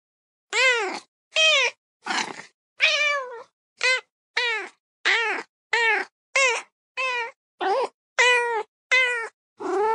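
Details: Young kitten meowing repeatedly: about thirteen short, high, slightly rising-falling mews in ten seconds, each under half a second with clear harmonics, spaced fairly evenly with silence between them and no other sounds.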